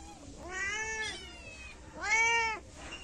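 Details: Pair of month-old kittens from two sibling mother cats, living in a yard, calling together: two strong, drawn-out meows about a second apart, each swelling then dropping in pitch, over low background hiss.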